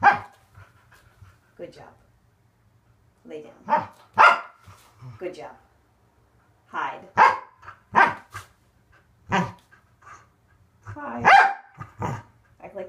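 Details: A Corgi called Waffle barks while training on conditioning equipment such as a Fit Bone, donut and exercise ball. Strings of sharp, harmonic barks arrive in irregular clusters, interleaved with an owner's praise and commands.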